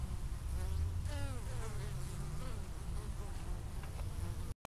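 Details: Honey bees foraging on a warm November day in Minnesota, bringing orange pollen back to store for winter; a continuous buzzing hum with sweeping harmonic glides as bees fly near, cutting off abruptly at the end.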